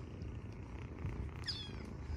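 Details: Sleepy kittens purring after a Halloween night of play, a soft, continuous low rumble with steady pulsing throughout, fairly quiet, with a faint brief higher tone near the middle.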